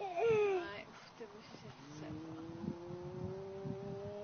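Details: Two cats fighting at noon: a sharp, falling wail opens, then a long, steady, slowly rising low yowl drawn out over several seconds, with rumbling traffic-like noise behind.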